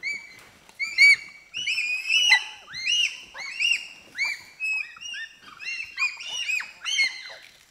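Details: A group of four to six pygmy chimpanzees reacts to sugar cane with high shrieks. Rising-and-falling harmonic calls come in overlapping bursts about every half second, several voices at once, continuing throughout.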